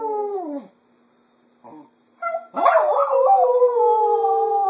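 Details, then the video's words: Female Cocker Spaniel singing in the afternoon, imitating its owners' voices: a falling howl, a brief quiet murmur, a short rising note, then a long sustained howl that wavers and quivers before holding steady. "the Cocker Spaniel Sings in the Afternoon"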